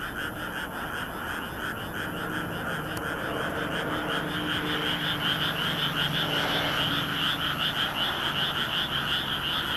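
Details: Night chorus of many frogs in a moonlit rice field in Nagoya, Japan, May 2016, filmed with a compact camera; dense rhythmic croaking, with individual higher rattling calls standing out toward the end over a low background hum.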